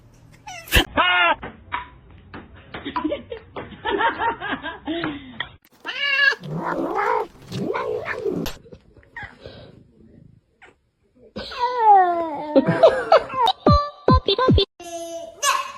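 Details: Pet cat yowling in a string of long, wavering, harmonic wails and shorter cries broken by pauses, with people talking and some laughter in a room.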